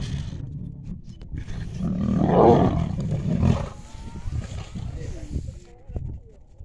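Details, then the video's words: A pride of lions fighting over food: deep rumbling growls and snarls fill the low range throughout, swelling to a loud roaring burst about two and a half seconds in, then tapering into broken, irregular grumbles. "LIONS PRIDE FIGHT OVER FOOD"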